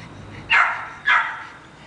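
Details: One-year-old Jack Russell Terrier from a breeding line in Jalisco gives two sharp, high barks about half a second apart, each dropping quickly in pitch. The background is otherwise quiet.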